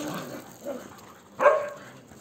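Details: Dog at a shelter, among people and other dogs; one sharp, loud bark rings out near the end after a short stretch of quieter murmuring and background voices.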